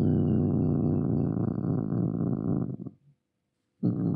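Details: Angry domestic cat giving a continuous low, rough growl for nearly three seconds, a short silence, then another growl starting.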